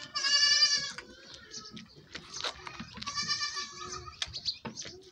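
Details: Goat bleating during milking: a strained, harmonic bleat lasting nearly a second, then a second wavering bleat around three seconds in, with handling clatter and faint rustling between calls.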